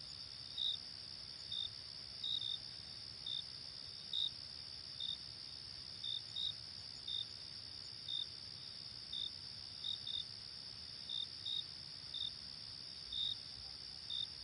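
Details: Crickets chirp on a late-summer night: a steady high trill under short, bright chirps repeated about every second.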